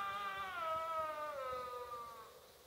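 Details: Sika deer call in a game enclosure during the rut: one drawn-out, harmonic-rich moaning tone that slowly descends and fades over about two seconds.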